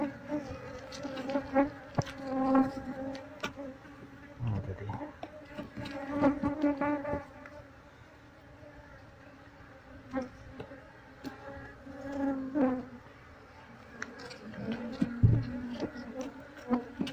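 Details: Honey bee colony being transferred to a cardboard box inside a room while the queen is sought: a sustained, even droning hum with stacked overtones, rising and falling in loudness, with scattered taps and handling clicks.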